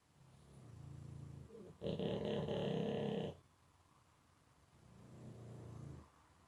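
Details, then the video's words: Deeply asleep pug: soft low snore, then a sudden loud rattling, throaty snort lasting over a second, followed by quieter breathing and another soft low snore. "Ich bin Mops Mogli und im Tiefschlaf"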